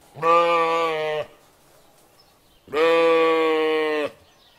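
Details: Two drawn-out, nasal, harmonic bleats from a lamb sheep, each about a second long, separated by a short quiet gap.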